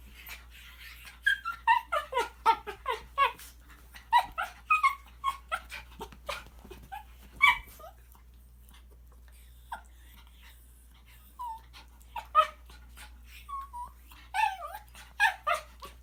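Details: Pet Shih Tzu urged to make weird noises, giving a long series of short squeaky whimpers and yips, clustered in bursts with pauses, some notes bending up and down, indoors in a small room.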